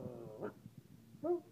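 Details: Puppy giving two short, high, tonal whines: a faint one near the start and a louder, slightly rising one about a second later, over a low, quiet background rumble.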